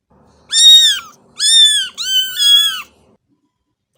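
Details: Cat meowing three times in quick succession, each meow bright and harmonic with a slight downward bend at the end, about a second apart, quiet background.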